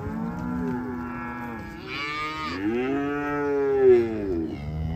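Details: Black Angus cows in a group offered for sale; low moos overlap, a hoarse higher bawl breaks in briefly, then a long swelling moo rises and falls over two seconds before fading into quieter lowing.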